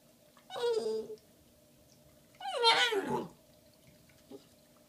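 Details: Unsure what to do with her giant Valentine's Day bone, female Shiba Inu puppy Bowie, almost five months old, gives two drawn-out whining yelps that slide downward in pitch, separated by a second of quiet, with a faint short sound afterward, recorded February 14, 2016.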